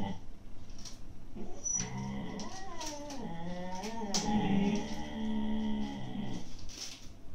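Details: Two Siberian Husky puppies, eight to nine months old, growl at each other while arguing over an empty food bag indoors; low rumbling growls rise into whining, strained vocal tones with shifting pitch, steady and continuous through the scene.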